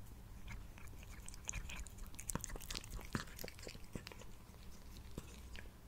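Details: Sushi, a male pet cat, purring and eating indoors, picked up on a Blue Yeti microphone: sharp, irregular crunchy bites and clicks scattered over a steady low rumble, in a quiet small room.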